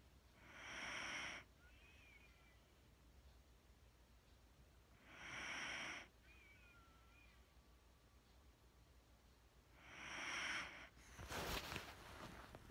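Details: Wheaten Terrier named Mattie asleep, breathing slowly and deeply: three long, airy breaths spaced about four to five seconds apart, followed by a short rustling burst near the end.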